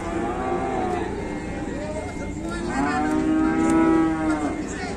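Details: In Indonesia, an agitated cow described as fierce keeps up its noise: a lower moo followed by a louder, sustained bellow with rich harmonics over a constant background hum.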